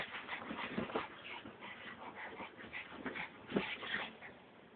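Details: Excited Brussels Griffon called Frankie producing continuous whining whimpers mixed with short yips, fast and uneven, with some rustling underneath.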